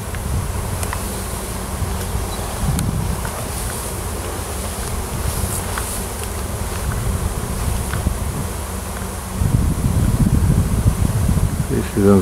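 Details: Wild honey bee swarm on a farm in Washington, a new queen having left the nest with many workers to seek a new home, clustered in a tree; dense low droning hum throughout, louder after nine seconds, with some wind.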